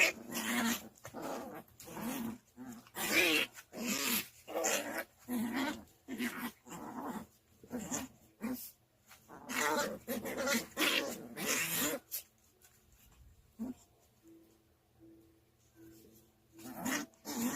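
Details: Two puppy sisters play-fighting indoors, with dense rough growls and snarling bursts coming in rapid, uneven flurries. The noise breaks off into a quieter stretch with scuffling and a faint steady tone.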